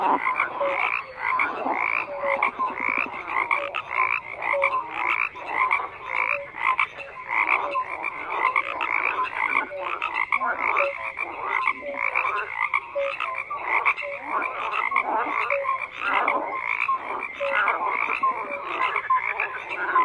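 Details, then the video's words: Long stretch of massed frog croaking, a steady throbbing chorus of rapid repeated pulses from many animals, with no pauses and no other sounds breaking through. "FROGS CROAKING"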